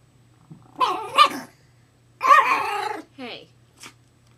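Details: New puppy crying, said to miss its mother and crying for about a day except when asleep; two loud whining, wailing cries with harmonics, then shorter whimpers, over a steady low hum.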